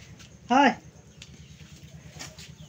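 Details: A goat gives one short, loud bleat lasting about a quarter second, rich in stacked harmonics with a slight waver. Quiet follows, with only a low steady hum and faint scattered background noises.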